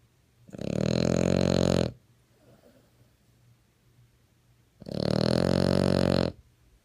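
A French Bulldog snores in long, rumbling, rattly breaths, each lasting over a second.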